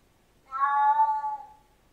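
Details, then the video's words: A single sustained meow from a Siamese cat, lasting about a second, strong and harmonic with a slight fall in pitch at its tail, against a faint low hiss. "Tunog ng SIAMESE CAT | Sound of SIAMESE CAT"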